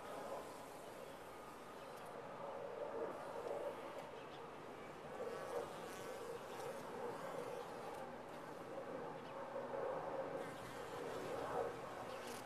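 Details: A colony of honey bees in a top-bar hive giving an unbroken buzzing drone, loudness rising and falling gently in slow waves across the recording.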